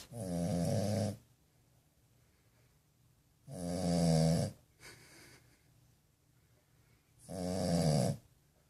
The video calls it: Snoring french bulldog puppy